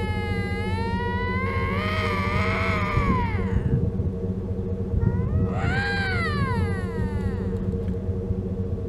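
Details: Lynx screaming in mating season beside the Mackenzie Valley Winter road, making strange sounds: two long wavering, yowling wails, the first sliding downward over about two seconds, the second rising then falling, over a steady low engine-like rumble.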